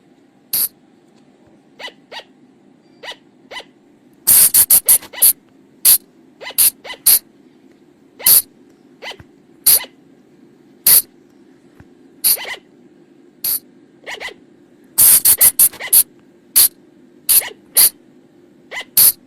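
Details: Night-time lure recording of flying lemur calls from the forest: crisp, high, clipped notes at roughly fifty per minute, mostly single and uneven, with two dense rapid bursts partway through, over a steady low background hum.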